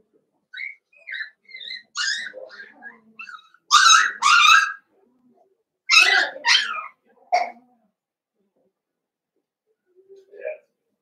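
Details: Five young blenheim Cavalier King Charles Spaniel puppies, born at New Year, in an indoor puppy pen. Shrill yelps and whimpers, then loud bursts of high barking near the middle, fading to a soft whine at the end.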